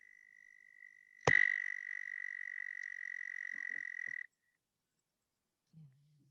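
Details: An American toad in Maine sings a sustained musical trill, high and perfectly even without oscillating, running unbroken for several seconds before stopping abruptly; a faint earlier trill precedes it, and a brief low human voice follows.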